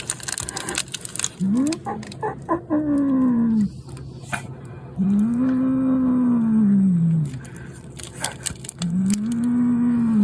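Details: House cat that stole food meant for an automatic feeder, growling loudly like a motorbike: long, drawn-out tonal moans that rise and fall, three main ones with shorter rumbles between, over household noise.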